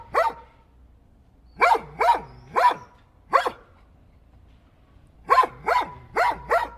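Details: Domestic dog barking: sharp, loud barks in short bursts of one to four, separated by pauses of a second or more, in a quiet indoor-sounding setting.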